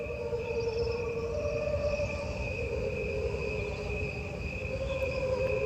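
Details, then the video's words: Crickets in a 1992 recording called God's cricket chorus, made using only the sounds of the crickets: a dense, sustained chorus with steady layered tones, a constant shimmering drone with no breaks. "now let's take a listen to this recording of crickets that Jim Wilson and David Carson did in 1992"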